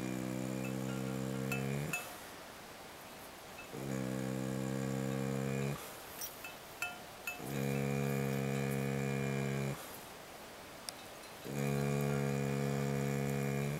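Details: Sleeping soundly at camp during a pack trip, the dog Hackett snores in a steady rhythm: four drawn-out, resonant, buzzy breaths of about two seconds each, separated by quiet gaps with soft clicks and rustles.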